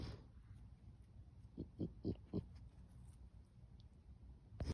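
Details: A trapped raccoon growls at a person in a quick run of low, throaty pulses.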